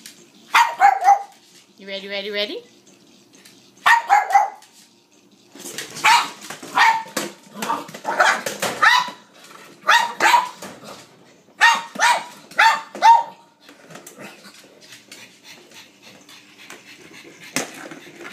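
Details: Mary, a blind female pug, barking eagerly during a game of fetch with a noisy motorised ball. Short yappy barks come in quick runs between stretches of a person's voice, with a brief whining note early on.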